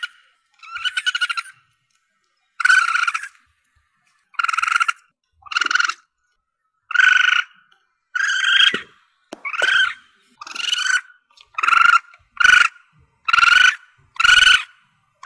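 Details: Juvenile Asian palm civet calling, a recording meant to draw in civets for hunting: a series of bright, harmonic squeals, starting sparse and quickening toward the end into close, evenly spaced cries. Nothing else is audible.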